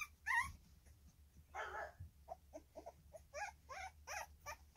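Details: Three-week-old Staffordshire Bull Terrier puppies from one litter, recorded 10 August 2024, giving a burst of high harmonic squeaks, then a broader whine and a run of short rising-falling whimpers, about six in two seconds.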